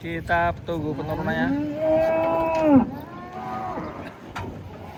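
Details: As cattle come off a truck, a long moo rises and holds for over a second before breaking off abruptly, with short calls before it and faint voices around.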